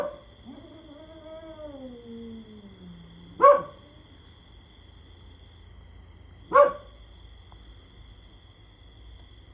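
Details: Lazy pet dog lying down as its companion keeps howling; a falling drawn-out howl fades in the first three seconds, followed by two short sharp yelps spaced about three seconds apart, with a low steady hum throughout.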